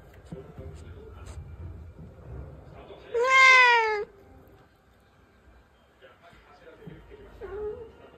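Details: Domestic cat speaking up to its owner with one drawn-out, bright meow that rises then falls, framed by faint shorter murmurs and soft room noise.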